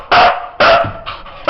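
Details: Siberian Husky barking on command while counting to five, giving three short sharp barks and a softer fourth, each about half a second apart, with a man's voice counting numbers in Bulgarian.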